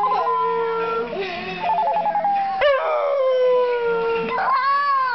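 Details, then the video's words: Pet dog Cheyenne howling in reply to a crank ringtone, a first for her: long, wavering, tonal howls that slide and hold, rising sharply near the end, with the ringtone's stepped beeping notes heard in the middle. "My dog Cheyenne howling at the Crank Ringtone"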